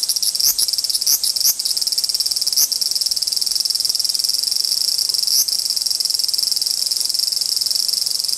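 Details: Large brown cicadas disputing, with one pair of cicadas involved: an unbroken shrill, hissing buzz. Several quick crackling clicks come early on and a single click at about five seconds.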